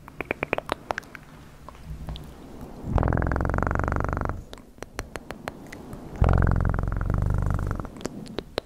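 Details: Two loud purring bursts from a domestic cat, each a buzzing rumble lasting about one and a half to two seconds, with scattered sharp clicks and taps before, between and after.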